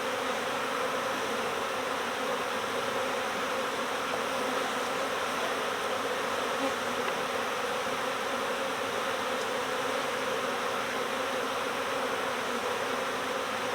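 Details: Swarming honeybees recovered from next door during swarm season: a continuous thick droning buzz of a large mass of bees, even in loudness for the whole stretch.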